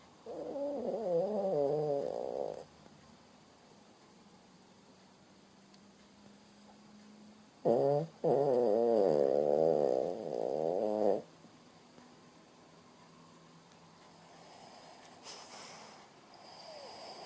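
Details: Sleeping Shih Tzu dog snores in rough, buzzing, wavering breaths: one snore lasting about two and a half seconds at the start, then a pause, then a longer rattling snore of about three seconds before quiet returns.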